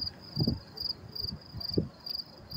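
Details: Crickets chirping in New York City on May 28, 2024: short, high, thin chirps repeat in steady rhythm, faint beneath louder low rumbling thumps and murmurs of nearby city noise.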